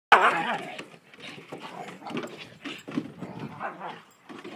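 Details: An Alaskan Malamute and a Malamute cross fight: a sharp opening yelp, then rough, rumbling growls in uneven bursts.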